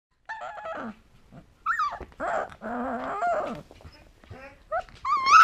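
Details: A two-week-old female Alaskan Malamute puppy howls for the first time, giving thin, wavering howls broken by short whimpers.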